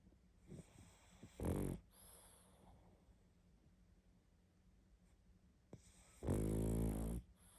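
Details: Pug asleep and snoring hard, two loud rattling snores about five seconds apart with quiet breathing between, in a small indoor room.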